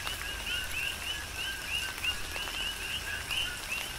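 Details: Coqui frogs calling in a tropical rain shower on the Big Island of Hawaii: a dense chorus of short, bright chirps with upswept high notes over a lower tone, overlapping rapidly, with steady rain patter and drips throughout.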